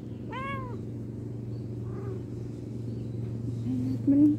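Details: Domestic cat giving a single short, rising-then-falling meow near the start, followed by a steady low hum and faint background sounds.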